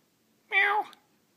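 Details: Trophy, a female pet cat described as crying like a little baby, gives one clear meow indoors, a short drawn-out cry of about a third of a second that slides downward at the end, in a quiet room.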